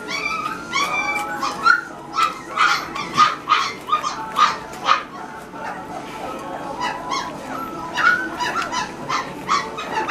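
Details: Great Pyrenees puppies chowing down together, producing rapid, high, squeaky yips and whines, closely overlapping throughout, one pup clearly above the rest.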